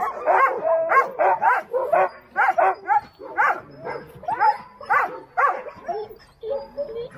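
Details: Alaskan Husky sled dogs at Snowhook Adventures in Willow, Alaska, barking in sharp, rapid bursts about twice a second, several dogs overlapping in an excited chorus.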